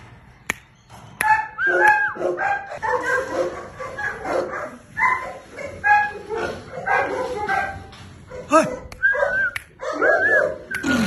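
Several Cane Corso puppies yip and whine, their thin, rising and falling cries coming in quick overlapping bursts. A few short barks break through, and a human voice may be faintly mixed in.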